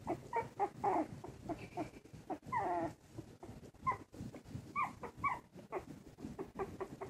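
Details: Squeaky, thin whimpers and yips from a pair of 2 1/2-week-old Silky Terrier puppies making wobbly first steps, with quick falling squeals repeated every second or so, and rustling bedding between the cries.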